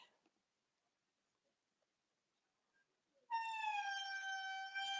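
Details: A wild indri in Madagascar, heard from right underneath it in forest off trail, gives a loud, rich wail after a few seconds of quiet, holding steady and sliding slightly downward.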